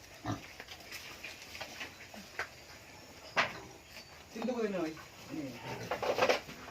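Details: Native pig raised on organic feed on a Philippine farm: short, scattered grunts and snorts mixed with overlapping human speech, a few louder harmonic bursts near the end.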